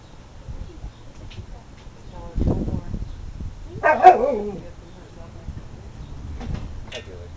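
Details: Emily, a female husky/wolf mix kept as a pet and the runt mother of seven larger pups, 'talks' with one short wavering whine-like vocal rich in harmonics midway through, between low rumbling indoor noise and faint voices.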